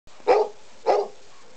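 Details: Pet dog vocalising to ask for its meal: two short, clear, bark-like calls about half a second apart, with a quiet indoor background.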